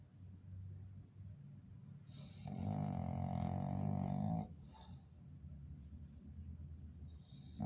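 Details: English Bulldog snoring loudly indoors: soft raspy breathing, then one long, strong, droning snore lasting about two seconds, followed by quieter rough breaths.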